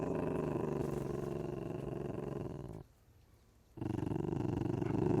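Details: Continuous low pulsing rumble from an ocelot, roughly four throbs per second, interrupted by a one-second pause, then resuming loudly.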